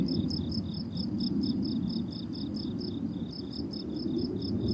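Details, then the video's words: Crickets on a blooming summer meadow give short, high, regularly spaced chirps, roughly three per second, over a loud, steady low rumble resembling wind or distant traffic. "Relaxing Cricket Sounds on a Summer Meadow"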